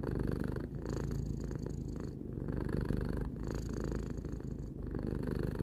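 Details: Low, rhythmic purring from Tarou, a domestic cat aged three, the rumble rising and falling with breath, brief gaps near every second or so.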